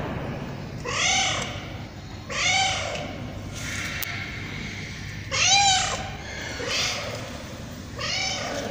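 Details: Tabby cat meowing repeatedly, five or so arched, nasal meows at irregular gaps of one to three seconds, with constant hissing noise behind.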